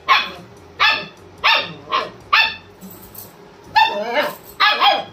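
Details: German Shepherd waking his owner with loud single barks spaced under a second apart, a brief pause, then two more barks close together.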